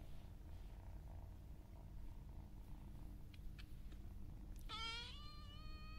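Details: Cat purring in a low, steady rumble, then near the end a single clear meow that opens high and settles into a level, drawn-out tone.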